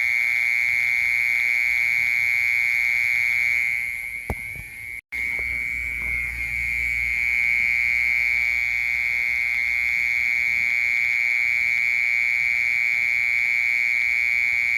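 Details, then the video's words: Steady high buzzing trill of a mole cricket, briefly dipping and cut by a short gap near the middle, then resuming at the same even pitch, with a soft low rumble after the break. "Sounds of Mole Cricket and Cricket/សម្លេងមេខ្មុល និងចង្រឹត"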